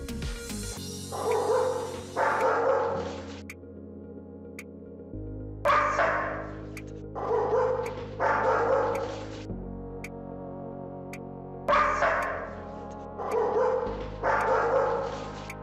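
A German Shepherd barks in deep, forceful bursts over steady background music.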